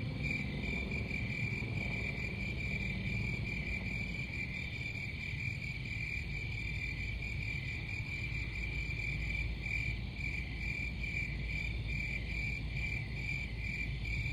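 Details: Crickets chirping in a steady, high-pitched pulsing trill that holds one pitch throughout, over a constant low rumble.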